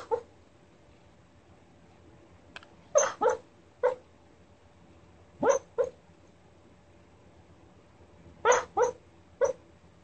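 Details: Rat Terrier dreaming, giving short muffled yips and soft barks in small clusters of two or three, separated by quiet pauses, with a faint steady hum in the background.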